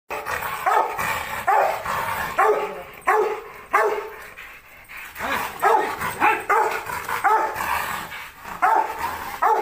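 A Rottweiler barks aggressively in a steady run of deep, harsh barks about twice a second.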